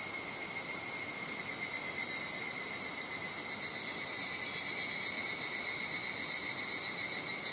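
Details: In Nishigō, Fukushima Prefecture, higurashi cicadas fill a Japanese summer scene with a constant, even, piercing high ring of layered tones, unchanging across the clip, over a soft background of wind noise.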